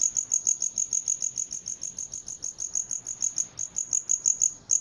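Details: Cricket chirping steadily: short, high, sharp pulses repeated about four times a second with a brief gap near the end, no other sounds.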